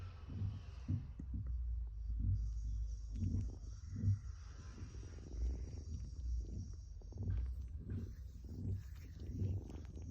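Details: Baby kitten kneading, or making biscuits, giving a low rumbling purr in soft pulsing surges about twice a second, with a faint steady high hiss behind it.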